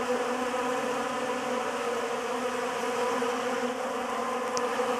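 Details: Honey bees feeding on a homemade pollen substitute, giving a steady, dense droning hum with a low fundamental and stacked harmonics, unbroken for the whole stretch, with no other sounds.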